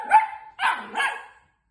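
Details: A female Long-haired Miniature Dachshund puppy, upset that her dad isn't home, gives a short whine, then two sharp, rough barks while a person talks to her.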